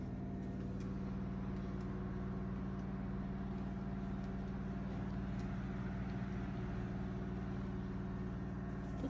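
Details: Steady droning engine or motor hum with strong low tones and faint ticking, no animal voice heard.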